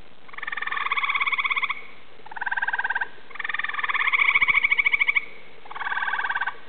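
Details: A chorus of Eastern gray treefrogs calls at dusk from trees around a small woodland pond, giving loud, musical pulsed trills of one to two seconds each as their advertisement call.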